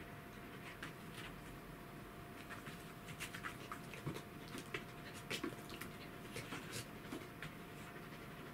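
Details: Welsh Corgi named Roku, filmed with a cat named Kuro, panting in quick breathy bursts over a low steady hum, with brief soft clicks and rustles scattered through.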